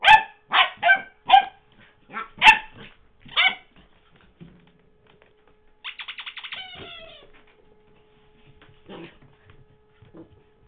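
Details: Puppy Henry, filmed in 2009 while playing with his beloved toy Mr. Squeaky, gives six quick shrill yaps, then a wavering squeal of the toy, followed by near silence with a few soft thumps.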